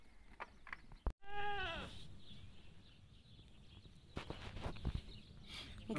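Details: Goat in labour, giving birth; a single clear, strongly harmonic bleat that falls in pitch and fades, followed by rustling and low background noise.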